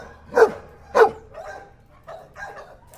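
A dog gives two sharp, mid-pitched barks about half a second apart, followed by softer, fainter yips and whines.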